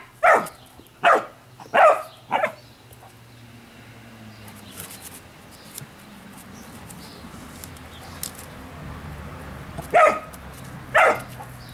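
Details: Giant Schnauzer, identified as Blackmoore Orlando: four sharp barks in quick succession over the first two and a half seconds, a long quiet gap with faint background noise, then two more barks near the end.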